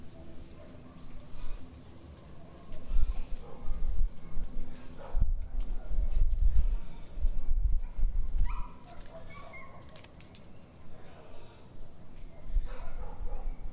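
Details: Dog barking in an urban garden in Brazil, a few short barks in a cluster midway, set against a steady low rumble of traffic with faint birds in the background.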